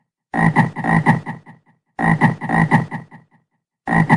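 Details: A frog croaks in two rattling, pulsed bursts that fade into a few soft clicks, followed by the start of a third burst; a quiet background.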